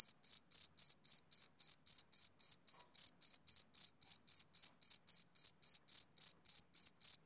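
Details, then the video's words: Male cricket chirping on a summer evening: a steady, high-pitched pulsed chirp repeated about four times per second in an even rhythm, with no other sounds. "Cricket Chirping"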